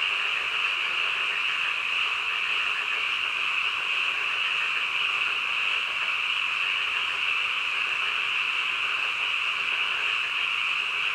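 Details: Late-night frog calls forming a steady, ringing chorus of rapid trilled croaks at an even loudness, a continuous high drone with a soft noise floor beneath.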